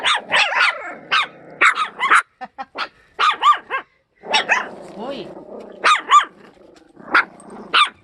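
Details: Sapsali mother Suri and her puppies, moved to a foster home from the Gimje shelter after giving birth; sharp yipping barks come in quick clustered bursts with brief pauses, voices in the background.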